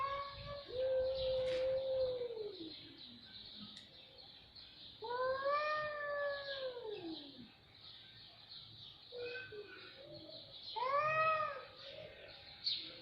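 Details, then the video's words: Cat yowls: a steady, held wail bending downward at its end, followed by two more arched, moaning cries several seconds apart, moderately quiet with faint background hiss. "صوت قطط رهيب"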